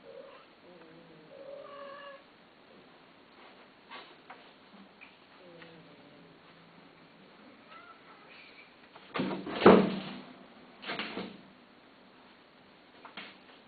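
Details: Domestic cat listed for sale, giving a few soft, drawn-out meows early on and a faint higher mew later. Loud knocking and handling bangs break in toward the end, inside a quiet room.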